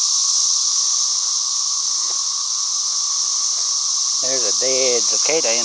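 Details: Loud cicadas keep up a steady, unbroken high-pitched hiss throughout, with a person talking over the final second and a half.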